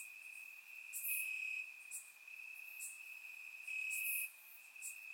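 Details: Warm summer night in Bulgarian grassland, crickets chirping: one unbroken piercing high trill with short, louder bright chirp bursts near the first and fourth seconds, captured with a surround microphone.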